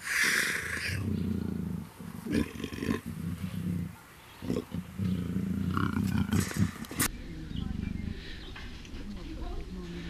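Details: Captive black African leopard female in first estrus growls and snarls in rough, low, sustained rumbles broken by brief pauses, with a person talking softly and background music at a big cat breeding center.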